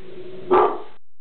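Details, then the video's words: One short, rough bark from Reggie, a pet dog reacting to something in the kitchen, rising abruptly out of a quiet indoor background and fading within a fraction of a second. "Reggie Barking"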